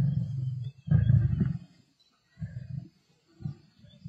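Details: Black Dam male lions feasting on a kill alongside the Avoca Pride, 31 March 2024: deep rumbling growls in three bursts, the loudest lasting about half a second, with short silences between.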